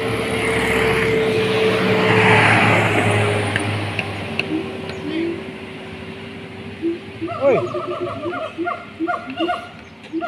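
Siamang calls: loud, barking notes that rise and fall in quick series over a steady rumble.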